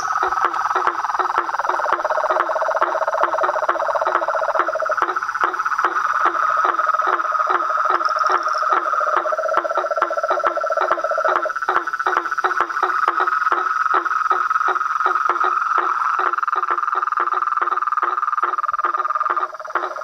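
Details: Chorus of toads, frogs and treefrogs: steady buzzing trill underneath rapid clicking pulses about four per second, with a separate lower rattling call surfacing in bursts of a few seconds.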